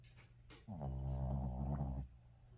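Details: Shih Tzu snoring in sleep after an energetic play session: one long, deep, buzzing snore lasting over a second, steady and rumbling, rising in sharply and cutting off.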